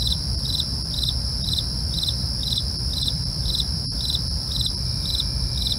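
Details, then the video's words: Crickets chirping at night: bright pulsed chirps repeating roughly twice a second over a steady high ringing trill, with a low rumbling background hum throughout. "night crickets asmr for you, can't sleep? try to relax with our real sound"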